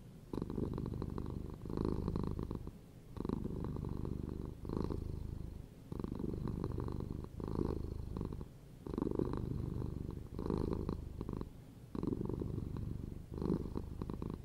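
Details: Cat purring continuously, a deep pulsing rumble that rises and falls in a steady breathing rhythm, each loud phase lasting about a second with brief quieter dips between them.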